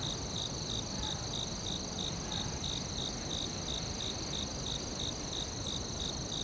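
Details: A cricket in the forest repeats bright short chirps about three per second without pause, while a constant high ringing trill and a faint low rumble carry on behind.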